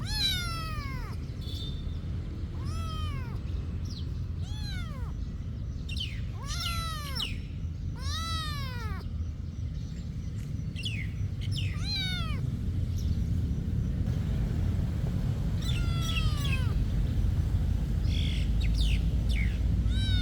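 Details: Monastery cat meowing insistently: a rapid series of about a dozen arched, wailing meows, closely spaced in the first half and softer, more scattered later as the background noise grows louder.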